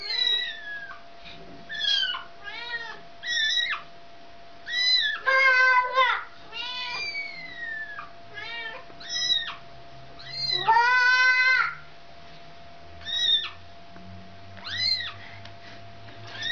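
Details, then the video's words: Mother cat calling for her kitten, wanting it back: a series of loud, drawn-out meows, some rising then falling, others wavering and strained, repeated every second or two with short quiet gaps between. "Mom Cat Really Wants Kitten Back"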